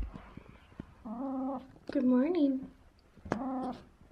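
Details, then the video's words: Talkative 17-year-old cat in the morning, giving three short tonal meows, the middle one wavering and rising then falling, with a soft human voice and low household noise between them. "VERY talkative 17 year old cat"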